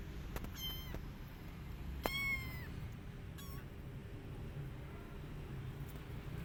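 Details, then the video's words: Kitten still upset a week after its mother cat left, giving a few high, tonal meows: a short one, then a longer falling cry near the middle, and a brief faint call later, over steady low background rumble. "1 Kitten Is Still Upset"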